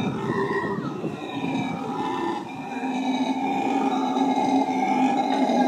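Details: A family of black howler monkeys (Alouatta caraya) at San Francisco Zoo gives a deep, sustained droning roar in the morning, swelling and holding steady with layered harmonics.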